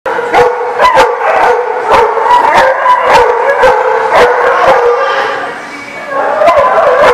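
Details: Many dogs barking together at a kennel lot, a dense overlapping chorus of sharp yaps and barks, loud and continuous, with a brief dip in volume near the end before the barking resumes.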